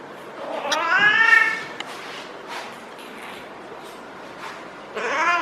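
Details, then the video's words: Caterwauling of a feral female cat in her first heat cycle, being petted on the lower back: one loud, drawn-out rising-and-falling yowl, a quiet pause with faint rustling, then another yowl begins. "Feral Cat in HEAT makes UNBELIEVABLE Noises!"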